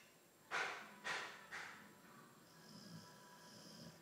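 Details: Theo, an albino Boxer dog, snoring: three breathy rasping snorts about half a second apart, fading in strength, followed by softer wheezy breathing with a faint whistling tone.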